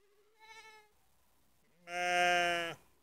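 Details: Sheep with three black lambs in Netoniai, Kaunas district, Lithuania, on a September evening: a soft, quavering short bleat, a pause, then a louder, strained bleat lasting nearly a second, in otherwise quiet surroundings.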